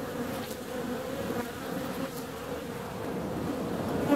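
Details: Warm February day with honey bees flying out; a softer, blurred buzzing hum runs throughout beneath a faint background hiss, growing slightly louder toward the end.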